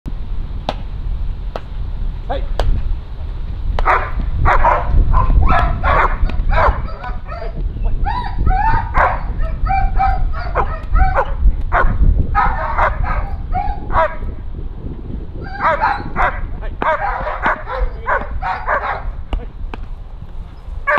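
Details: German Shepherd from Kraftwerk K9 during stress resilience and nerve strength work, barking in rapid irregular bursts of harsh, harmonic barks through most of the stretch, with low rumbling background noise and occasional sharp knocks.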